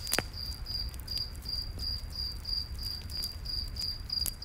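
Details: Crickets chirping at night in a forest beside a campfire: short high chirps repeated steadily, about three per second, over a low crackling rumble of fire with occasional sharp pops.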